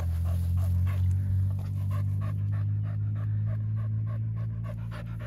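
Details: Dog panting at a fence where several dogs gather: quick, breathy, rhythmic pulses, roughly three to four per second, continuing steadily over a loud, constant low droning hum.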